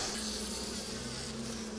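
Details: A bunch of young Western honey bee drones buzzing inside a small colony during a September 2024 hive inspection; a loud, continuous low droning hum with a steady pitch and a hissy wash of higher noise over it.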